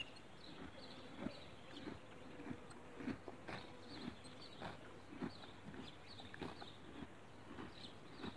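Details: Horse grazing on grass, quietly tearing and chewing in a rhythmic run of soft crunching bursts, about one every half second, with a faint steady rural background.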